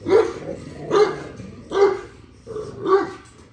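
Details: Repeated barking from dogs as a male puppy spends time with its father; four evenly spaced barks, about one per second, each sharp and mid-pitched over a quiet background.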